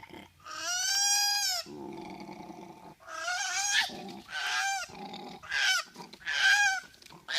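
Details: Pitiful crying of a koala joey forced down from a tree: repeated wavering, nasal wails, some long and some clipped, alternating with low, harsh, grunting sounds.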